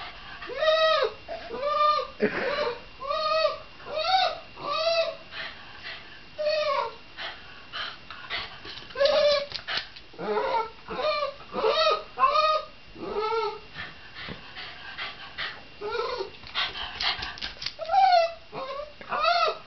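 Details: Shiba Inu giving a long run of high, harmonic whining yelps, each arched and rising then falling, repeated about once a second with little pause, some calls stretched into drawn-out whines.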